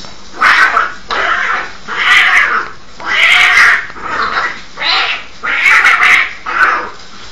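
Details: Fighting cats trade harsh, hissing screeches in bursts of about half a second, coming roughly once a second, each loud, raspy and high-pitched.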